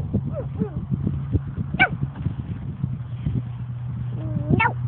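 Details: Labrador Retriever out on a walk, giving short high whines and a sharp rising yelp over a steady low engine-like hum, with brief rustling in between.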